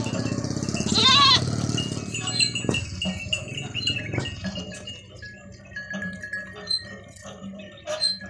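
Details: Village goats, including white goats, in a natural rural setting: one loud, quavering bleat with a strong tremolo near the start, followed by scattered knocks and clinks and faint high chirping in the background.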